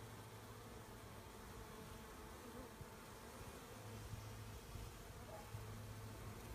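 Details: Swarming honey bees during collection of the swarm: a dense, continuous buzzing drone, even in loudness throughout, with low rumbling handling noise underneath.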